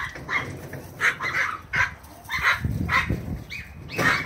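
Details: A Bouvier des Flandres puppy romps and races with a long-haired Chihuahua, giving short, high yelping barks spaced roughly every half second, mixed with low thuds and scrambling movement.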